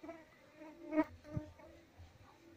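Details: Honey bee colony being transferred while the captured queen's wings are trimmed; a droning buzz with stacked harmonic tones, a louder swell around one second and a sharp knock shortly after.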